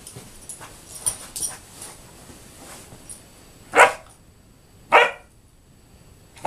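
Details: Indoors on an office sofa, 11-week-old German Shorthaired Pointer puppy Axel goes wild in play. Soft rustles and scuffles lead into three loud, abrupt barks at roughly one-second intervals near the end.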